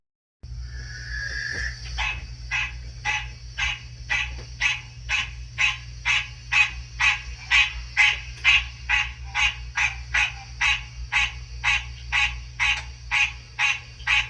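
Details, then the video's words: Captive male American green tree frog, only recently sexually mature, calling in a reptile room near spring as a recording of its species plays: short nasal honks repeated about twice a second, over a steady high whine and low hum. "just watch what happens when I play a recording of a green tree frog calling"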